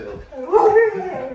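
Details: Huskies at home react to a scary movie costume prank; one gives a brief, wavering, harmonic howl-like cry that bends upward and then settles, with faint background noise.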